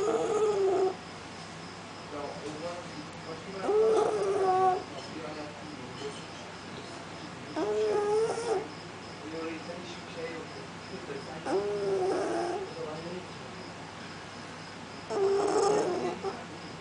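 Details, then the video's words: A strange cat that appears to have lost its voice, arriving at a door at night and unable to meow properly. It gives rough, hoarse, strained calls about every four seconds, five in all, with quiet room noise between. "cat that can't meow"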